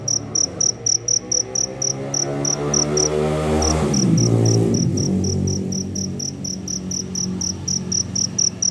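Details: Cricket chirping after rain while seeking a mate; rapid high pulses repeat steadily but are briefly interrupted midway by a louder low, tonal passing sound before the chirping resumes.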